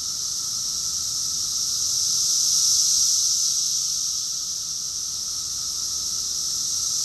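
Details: Cicadas in chorus, Rockville, Maryland, USA, June 2021: an unbroken high sizzling drone that rises to a louder peak midway and then eases back, with a faint lower steady tone.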